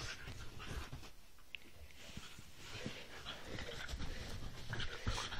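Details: Whippets at rough play, a three-year-old named Roxy with Lilah, a seven-week-old puppy: rapid noisy panting and snuffling breaths, steady and rough, over scuffling movement throughout.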